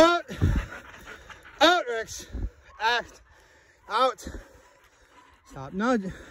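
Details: Belgian Malinois in bitework training, letting out sharp, high, arched yelping cries in bursts roughly every second, with panting and human speech in between.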